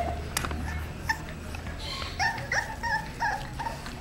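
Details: Female English Bulldog puppy, 35 days old, born at the Labonnevie kennel and granddaughter of two-time world champion Draco Malfoy, giving a quick series of short, high, squeaky whimpers about three per second in the second half, after a quiet start with a low hum.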